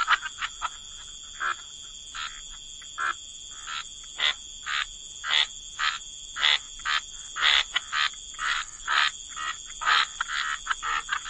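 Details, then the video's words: Frogs by wetland water, distinct short rasping croaks spaced roughly every half to one second, fairly clean between calls, over a steady high-pitched insect hum. "Frog Lullaby: Relax to the Sound of Croaking Frogs"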